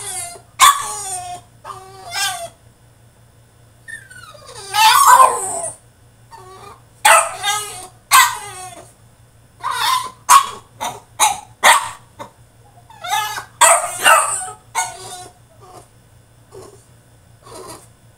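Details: Tantrum from a French Bulldog shut in his cage: a long run of choppy, high-pitched yelps and whining cries, some drawn out and wavering, coming in rapid uneven bursts.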